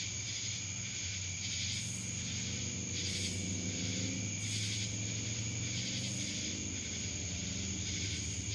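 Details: Cicadas in Dallas, Georgia keep up a steady, shrill, high-pitched buzz that swells and fades in gentle pulses.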